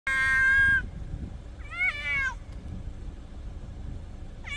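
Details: Domestic cats meowing at night by the sea: a long harmonic-rich meow, then a wavering meow about a second later and the start of a third, over a steady low rumble of surf.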